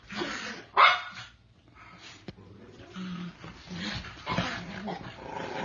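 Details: Cairn Terrier, a 3.5-year-old black brindle male in Maryland awaiting adoption, gives one sharp, loud bark near the start, followed by quieter low vocal sounds and indoor background noise.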